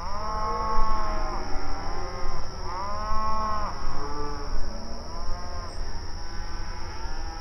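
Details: Open range cattle grazing on outdoor pasture, communicating with each other in repeated arched moos, about one every second or two, several animals overlapping, with a low steady rumble underneath.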